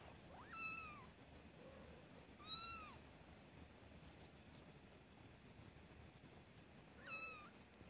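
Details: Little kitten walking and meowing, three soft high-pitched meows spaced unevenly, the second loudest, each a brief bent whine with bright overtones, against a low steady room hiss.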